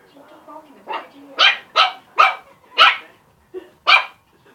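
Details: Playing puppies, busy with a balloon and a squeak toy, let out a run of six loud, sharp barks about half a second apart, led in by low whines.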